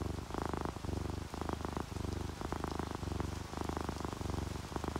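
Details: Purring of a relaxed sleeping house cat, orange tabby or calico, a throbbing low rumble in regular breath cycles, set against a steady hiss of rain added to the recording.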